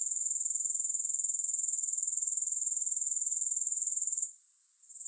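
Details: Grasshoppers give a fast, evenly pulsed high buzzing trill that holds steady for four seconds, then drops away sharply and begins to return faintly; no other sounds.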